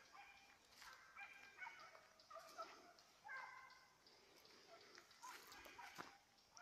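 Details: Petit Basset Griffon Vendéen in pursuit of a rabbit, 5 October 2014. Short, ringing bays come in clusters between bursts of brushy rustling, with pauses of a second or more.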